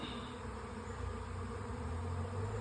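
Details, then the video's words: Honey bee swarm settling into stacked nuc boxes on May 24; dense, steady buzzing of many bees with a deeper low hum swelling in the second half. "Honey Bee Swarm # 2 - Bees moving into a hive"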